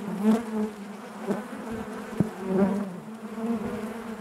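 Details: Hive of honey bees humming: a thick low buzz with bright overtone bands, punctuated by several sharp louder pulses where bees pass close, about one each second.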